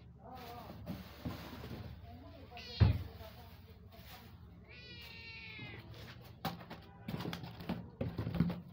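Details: A mother cat calling her newborn kittens: a brief rising cry near the start, then a drawn-out, wavering meow midway, over a steady low hum with scattered knocks and rustles.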